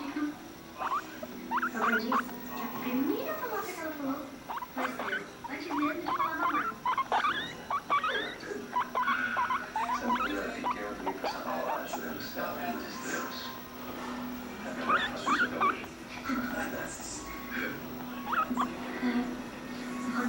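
A guinea pig chatters in quick squeaky chirps and rising whistles over a steady low hum.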